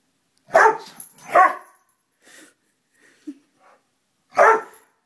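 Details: Lollie, a pet dog, barks at a moth: two quick barks close together, a quiet pause with faint small noises, then a single loud bark near the end.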